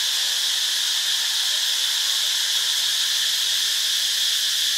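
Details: Cicada in Ubon Ratchathani, Thailand, giving a harsh, hissing, steady buzz with no clear pulses, loud and unbroken from start to finish, over a faint low hum.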